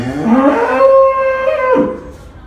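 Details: One real cow gives a single loud, sustained moo. It starts low, rises and holds a steady tone, then drops away sharply at the end. Little other sound is heard.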